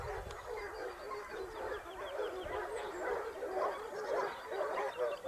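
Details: Basset Hound pack on the hunt in Spain, Topsfield Lebrera, 2015-16 second season: steady rapid cry of several hounds, bays repeated roughly twice a second, with faint high bird chirps above.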